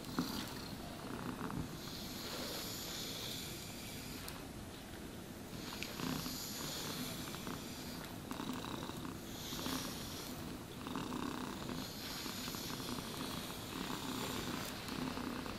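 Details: A cat purrs steadily as it is brushed and groomed, the deep vibrating hum running throughout while soft rasping brush passes sweep in at intervals; no human speech.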